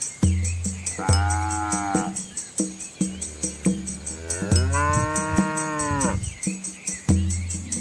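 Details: Red Asian village cows, a large herd crossing a small flowing river with their calves in rural countryside: two long, drawn-out moos with rich harmonics, each lasting one to two seconds, over steady rhythmic background music.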